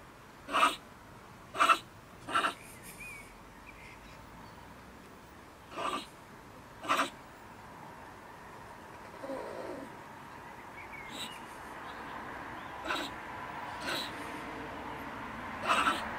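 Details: A female stone marten living in a woodpile beside a shed in Germany, around 10 pm in the evening, rants at the returning neighbour with harsh, explosive screeches in irregular bursts, thoroughly agitated.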